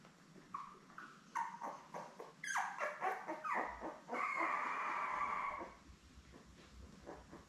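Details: Newborn Lab puppies with their mother Belle on an indoor puppy cam, a litter of seven born in May 2021. A quick run of rising squeals leads into one long, steady whine, then softer scattered peeps.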